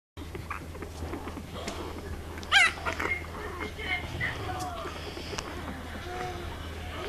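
English Bulldog puppies give a sharp, high yelp amid soft squeaks and low murmuring voices.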